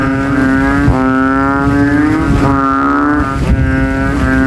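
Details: After evening rain, banded bullfrogs crowd a graveyard puddle, inflating their throats in a loudness contest; overlapping bassy droning calls form a near-unbroken wall of sound over low rumbling noise.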